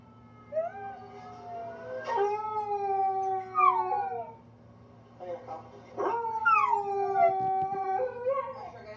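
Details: A 10-month-old rescue dog, a chihuahua, pitbull, German shepherd, Jack Russell terrier and rat terrier mix, howling indoors: two long wavering howls, each sliding up then falling, with rich harmonics and a steady low hum underneath.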